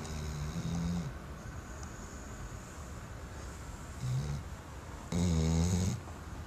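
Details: A Weimaraner snoring in its sleep: a short low snore at the start, a brief grunt near the middle, then a louder, deeper rumbling snore toward the end.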